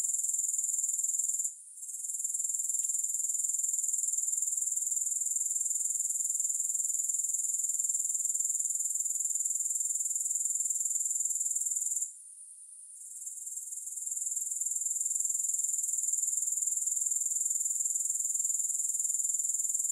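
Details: Long stretch of continuous high grasshopper chirring pulsing about four times a second, with two short breaks in the sound near two and twelve seconds before it swells back. No other animals or music.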